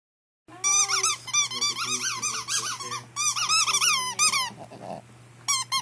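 A Pekingese whines in high, wavering squeals that rise and fall in quick bursts.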